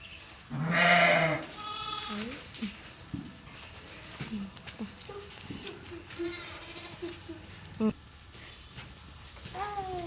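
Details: Sheep at a village farmhouse, kept with lambs and handled by family members; several loud harmonic bleats, one long and strong near the start, then shorter wavering calls, mixed with people talking.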